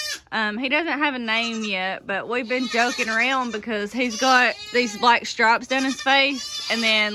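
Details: Many young goat kids from the 2022 kidding season bleating loudly, overlapping wavering cries with quavering tone, some drawn out nearly a second, others short and rising, coming in quick succession with hardly a pause.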